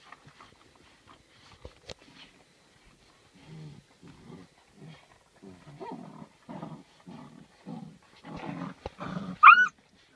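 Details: Eight-week-old Rhodesian Ridgeback and Saint Bernard cross puppies, born to a Ridgeback mother and Saint Bernard father, make a run of short low growling grunts that grow busier, ending in a sharp high rising whine, indoors.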